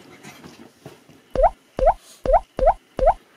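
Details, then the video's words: Maltese dog at home greeting its owner back from an outing. Soft murmuring gives way to five sharp, high yaps that each rise in pitch, spaced about every half second, loud and close. "주인이 외출 후 집에 왔을 때 강아지의 반응"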